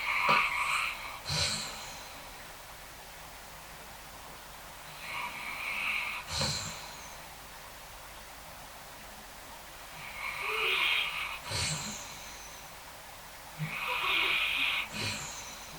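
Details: Basset Hound sleeping in his usual safe spot during a thunderstorm, which normally scares him, snores in rough, raspy bursts a few seconds apart, and is even dreaming a little.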